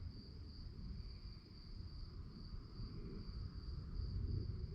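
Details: A short run of night crickets giving a steady, high, rapidly pulsing chirp, fainter than the dominant low rumble of wind-like background noise.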